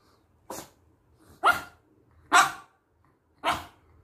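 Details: Chihuahua that seems to have forgotten how to bark gives four short, breathy huffing barks, each about a second apart, with little voiced tone.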